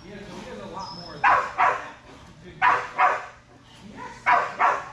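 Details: Strider, a Belgian Malinois, at Fetch-It (Air Retrieve) dock diving practice on October 25, 2022, gives three pairs of sharp, loud barks, each pair a quick double, spaced about 1.5 seconds apart over low background murmur.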